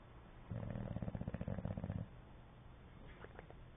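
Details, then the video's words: Asleep and snoring, an English Bulldog gives one low, rapidly pulsing, rumbling snore of about one and a half seconds as its lips flap, then quiet breathing with a few faint clicks. "English bulldog snoring and flapping"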